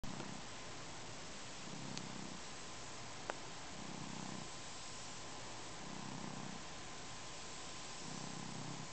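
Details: Domestic cat purring while kneading and drooling on a blanket indoors; a soft, low, continuous rumble pulsing in even breaths roughly every two seconds, with a faint steady hum and one brief click.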